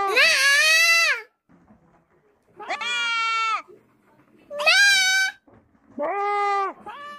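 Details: A sheep bleats loudly four times in about seven seconds. Each bleat is a strained, wavering, nasal cry lasting roughly one second, with short silent gaps between calls.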